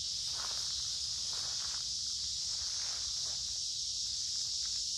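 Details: On a warm, humid summer day, cicadas along a wooded creek keep up a loud, even, high-pitched buzz. A few soft footsteps and rustling leaves sound under the drone.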